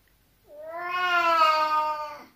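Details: Indoor Oriental cat protesting after its owner refuses to let it onto the cold balcony: a long, drawn-out, rich harmonic meow of nearly two seconds, steady in pitch and dropping at the end.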